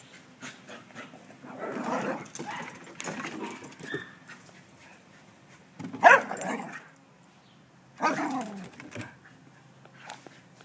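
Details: Kimzy, a 4-year-old terrier, playing with Lucky, a 9-year-old Cairn Terrier, as a pet at home: bursts of growling and grumbling vocal sounds around two, six and eight seconds, with rustling between.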